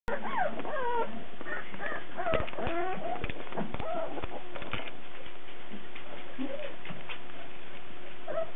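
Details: Cardigan Welsh Corgi puppies recorded March 17, 2008, giving high wavering whimpers and yips with sliding pitch, several overlapping, plus sharp clicks and knocks.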